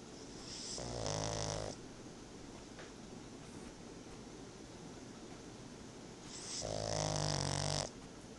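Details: Napping pug named Tobias gives two rattling, buzzy snores about five seconds apart, each lasting under a second with a hissing breath layered on top. The room stays quiet between them apart from faint background noise.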